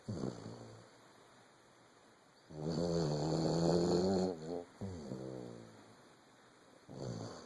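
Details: Asleep and snoring, Lucy the Vizsla at 14 months gives a long, buzzy, vibrating inhale lasting about two seconds, then a shorter rattling snore, with quiet breathing gaps between.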